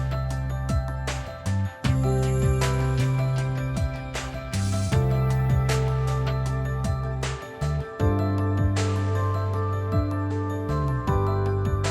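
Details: Upbeat instrumental music with steady bass notes and percussive hits fills the whole stretch.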